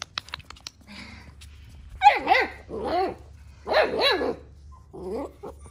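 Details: Six-week-old Central Asian Shepherd puppies, Neptune and Nyx, explore a new area for the first time on a cold 14°F day. High-pitched yelping barks come in short wavering bursts, two close pairs and a final shorter yip, over a low steady hum.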